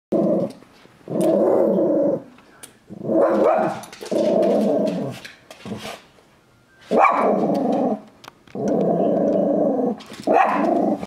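A California gray fox gives harsh, throaty growls in bursts of about a second, separated by short pauses.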